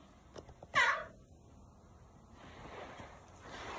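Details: A 5-year-old male Maine Coon cat gives one short, bright meow that falls in pitch, answering his owner.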